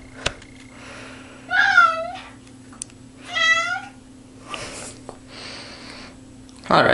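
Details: Cat stuck in a bathtub indoors gives two long, plaintive wavering meows about two seconds apart, followed by a softer sound and a thump at the end.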